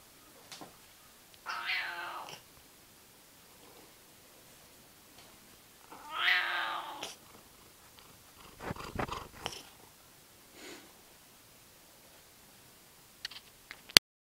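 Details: Seal point Siamese cat indoors, recorded with a fifth-generation iPod Nano: two drawn-out, nasal meows about five seconds apart, each harmonic-rich and wavering, followed by softer scattered rustling and handling noises.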